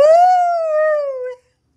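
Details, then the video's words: Single Siberian Husky howl lasting over a second, swelling upward briefly at the start and then sliding slowly down to a fading end, after a person's repeated urging to get up. "Howling Huski dogs"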